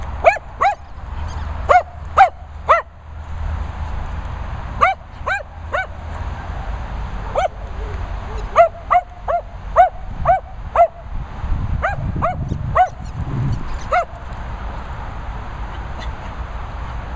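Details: Dogs at training and boarding kennels set in Worcestershire countryside, barking in sharp, ringing bursts of two to five, irregularly spaced, over a steady low background hum with some rumbling noise.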